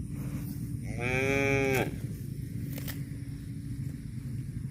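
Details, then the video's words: Cow giving a single drawn-out moo lasting under a second, rich and harmonic with a slight rise then level tone, set against a steady low rumble, with a sharp click shortly after the call ends. "CUTE AND FUNNY COW SOUND VIDEOS COMPILATION"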